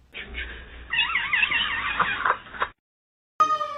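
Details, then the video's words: Kitten meowing: a drawn-out, wavering meow with a rippling pitch across about a second and a half, after a short rough onset, followed by silence and then an abrupt, brief tonal sound. "kitten meowing cute"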